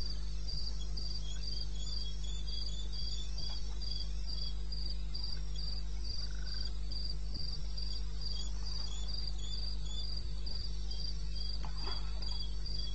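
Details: Crickets calling in the wilderness of eastern Botswana at 2:30 AM in May: regular high pulsed chirps, about three per second, over a steady low hum and faint background noise.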